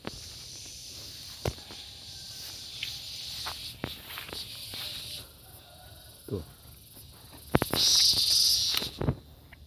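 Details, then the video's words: Gareng pung cicada producing a continuous high, shrill buzz that suddenly swells into a loud, harsh burst near the end, then drops back, with footsteps and rustling clicks throughout. "SPECIAL SOUND IN GARENG PUNG"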